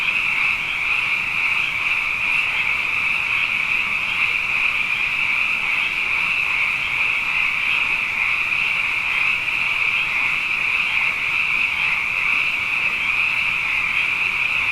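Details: Night chorus of many frogs, plentiful after two consecutive wet years: a continuous shimmering, high-pitched trilling drone of overlapping croaks that holds an even level throughout, with faint flickering pulses and nothing else audible.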